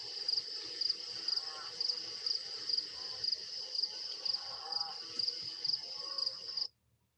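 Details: Crickets chirp steadily in the background at a rural beehive apiary, a high pulsing trill of about two chirps per second over a soft low hum, with bees buzzing and cows distant.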